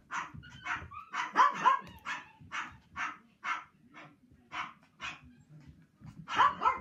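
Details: Male Toy Poodle born March 2018, eager to play and always bouncing around, gives a rapid series of about a dozen short, sharp, high barks and yips at an uneven pace, with a brief louder cluster near the end.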